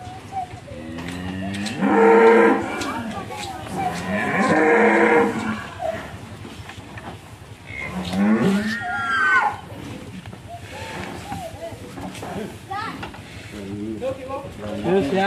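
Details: One of three large cattle being delivered in Mlinting, Tempel, Sleman, its rope loose, agitated and almost escaping. Two long, loud, deep moos near the start and again a few seconds later, then quieter lowing mixed with background voices.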